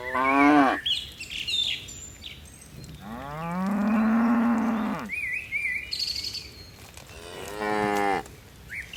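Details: Tame cattle, dozens descending a mountain slope with lively leaps; a short moo, then a long drawn-out lowing of about two seconds, and another moo near the end, birds chirping between calls.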